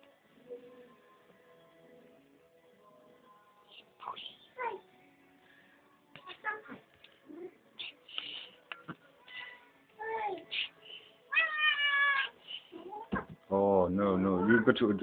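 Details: Pinky, a pet cat, meowing for food at dinner time. The cat talks back and forth with the household. Scattered scraps of speech and clatter lead into loud, drawn-out harmonic meows, one wavering and rising, with voices in the background.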